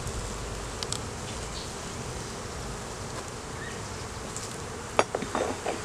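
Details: Honey bees buzzing in a steady low drone during a beeyard hive inspection, recorded on a Canon Rebel T6 DSLR; sharp clicks and clattering from hive equipment break in near the end.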